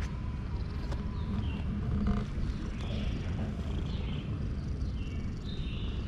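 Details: Male cat purring loudly with satisfaction while being petted; a steady, low continuous rumble throughout, with faint high chirps from birds in the background.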